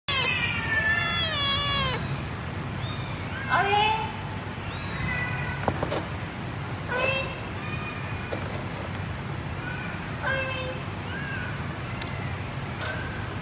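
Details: Two-month-old male Domestic Medium Hair kitten, a rescued stray from Setia Alam, Shah Alam, Selangor, meowing repeatedly: high, wavering, drawn-out cries every one to three seconds over a steady low hum, with some speech.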